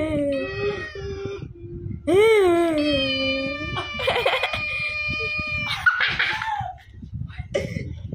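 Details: Black cat, angry, producing long moaning yowls that swell and bend in pitch, then shift to higher strained wails, over steady background chatter and music.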